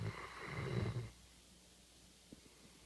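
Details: Labrador Retriever service dog asleep indoors after a day's work, snoring loudly: one rough, low, rumbling snore lasting about a second, followed by quiet breathing and a few faint clicks.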